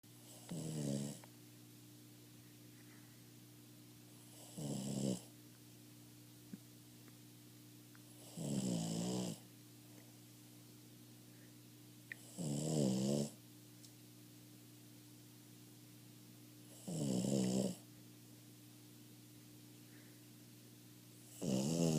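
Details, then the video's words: A half-asleep Boston Terrier snores in slow, rasping bursts, one deep rattling breath about every four seconds. "Boston Terrier Snores"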